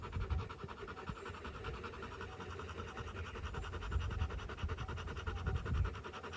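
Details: After fighting on day 59, a dog of a Rottweiler family pants in quick regular breaths, with low bumps and scuffing sounds rising at intervals beneath the airy huffing.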